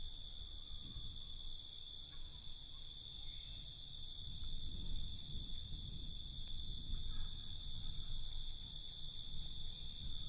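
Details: Crickets heard at night, an unbroken high-pitched trill growing louder midway, densely pulsed, with a low background rumble beneath.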